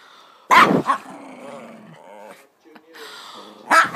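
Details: Pet dog making weird noises, giving a long wavering whine and then a lower, shorter groan, framed by sudden loud human exclamations at the start and the end.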